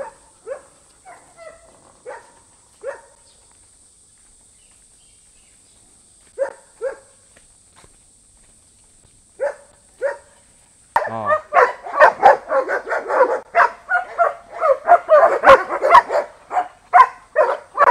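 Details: German Shepherd dogs at a breeding kennel of old-style flat-backed working dogs, barking as visitors walk among the pens; a few sparse barks at first, then a sudden burst of dense, overlapping barking from several dogs.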